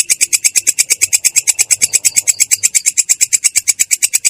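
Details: Belalang kecek katydid in ngerol, a continuous rolling delivery described as clear yet coarse: a steady train of harsh, high, buzzy pulses, about seven per second, evenly spaced throughout with no other sounds.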